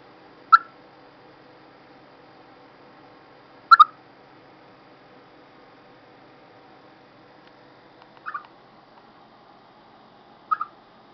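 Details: Calling ahead of bad weather, a chipmunk gives sharp clicky chirps, some doubled, at uneven gaps of two to four seconds in a quiet setting.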